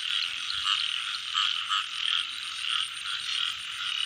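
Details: Frogs in the rain season: the steady chorus carries distinct louder croaks that swell roughly every half second to second, each a short rasping burst over a continuous trilling background.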